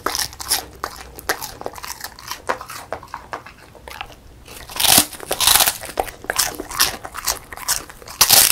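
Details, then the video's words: A female Beagle named Song Mung-i, born 20 December 2016 and keen on food, eats a crispy puffed rice snack indoors: dense crisp crunches and bites, with louder crackling bursts near the end. "비글 강아지 먹방 : 바삭 쌀 뻥튀기 ( Beagle / Real Sound / Eating Sound / Eating Show / Mukbang / Dog ASMR )"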